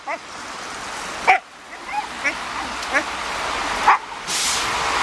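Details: Siberian Husky Raign worked up over a ball or balloon, letting out a run of brief, sharp yips spaced under a second apart, with a louder yelp and a burst of rushing noise near the end.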